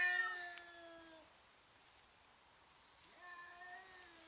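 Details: Cats intimidating each other in a fight produce strange sounds: a level moaning meow that fades after a second, a quiet gap, then another flat drawn-out growling meow starting near three seconds.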